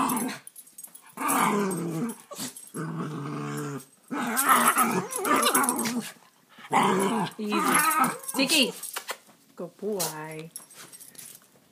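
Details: Two rescued young dogs, Sammy, a rat terrier/Boston terrier mix, and Tiki, a beagle/Boston terrier mix, both nearly two years old, play-fighting together. Rough, throaty growls come in bursts of one to two seconds with short pauses, in a small indoor space.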